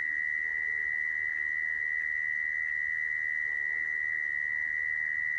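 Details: Mole cricket calling with a level, uninterrupted high buzz that never changes pitch, a sound used as a lure for trapping mole crickets; only a soft background hiss accompanies it.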